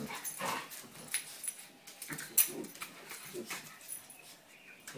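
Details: Two pet dogs playing together; rough, breathy growls and snuffling bursts come in irregular pulses, with one sharp louder yelp-like burst midway.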